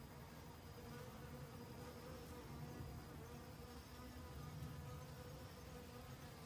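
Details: Busy autumn foraging by honey bees stocking up for winter: an even, continuous drone with distinct humming tones that waver gently in loudness throughout.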